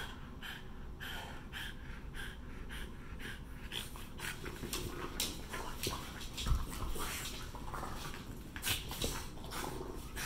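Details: Two French Bulldogs at play, not fighting, growl playfully with a low rumble mixed with snorts and heavy breathing.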